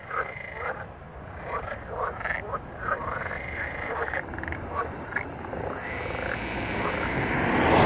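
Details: Several green frogs recorded in Verona province, Italy, on 13 May 2017 croak in quick, rough bursts, overlapping in a loose, irregular chorus.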